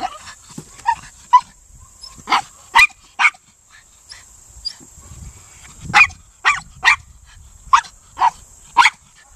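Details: Male Miniature Pinscher, a breed bred for hunting vermin, barks while working the quarry during Senior Earthdog; short sharp barks come in irregular clusters of two to four with brief pauses between.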